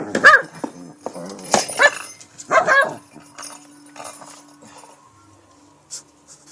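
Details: King Bubba, a Shih Tzu, attacks a cat toy late at night in PA, giving three loud gruff barks about a second apart, then quieter scuffling and a steady faint hum.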